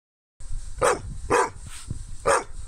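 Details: A happy Rottweiler and Shar-Pei cross gives three deep, full, hoarse woofs at an uneven pace, roughly half a second to a second apart with brief quiet gaps.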